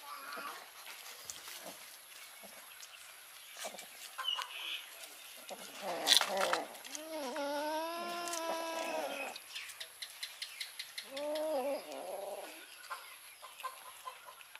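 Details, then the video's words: Kitten and cat mewing loudly after smelling fish: two long, drawn-out wavering meows in the middle, then a shorter pair of meows later. Scattered clicks and handling noises, with a faint steady high tone throughout. "Kitten and cat mewing loudly to me because they smelled fish"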